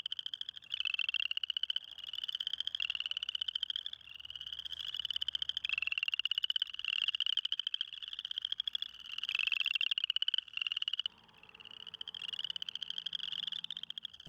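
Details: Male spring peepers in a cold small pond early in spring, calling to attract mates in an ear-piercing, very loud chorus. Rapid pulsed trills rise slightly in pitch and repeat almost without pause, several callers overlapping.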